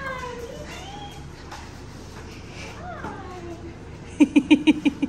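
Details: Stella, a Great Dane x Boxer dog, reunited with her owner: high whining glides slide downward under excited talk from a woman, then a burst of six quick, evenly spaced squeaky yelps at the end.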